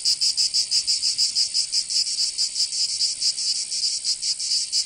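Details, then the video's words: Cicadas in the south of France, Provence, in summer: a bright, grating buzz pulsing rapidly and evenly, louder in the first seconds and then softening a little. "Canto Cigarra"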